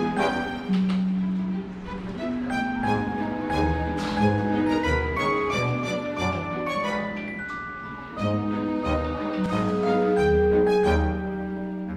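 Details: Bright mallet-percussion melody with marimba or glockenspiel tones over bass and strings, played steadily throughout with no animal voice heard.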